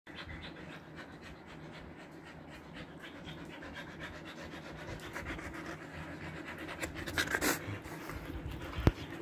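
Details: Siberian Husky in summer heat in Kolkata, India, recently given a body trim, panting: rapid, steady, breathy strokes repeated throughout, growing slightly louder, over a low background hum, with a brief sharp click near the end.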